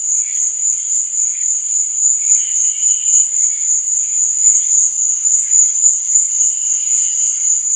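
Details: Crickets chirping at night, a high, unbroken trilling band pulsing slightly about four times a second, with softer lower chirps scattered in the background.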